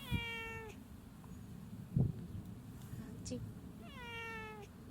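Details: Hachi, a male community cat, meows in reply when called by name: two clear falling meows, each under a second, starting high and sliding down with rich harmonics, separated by about three seconds, with a man's voice calling between them.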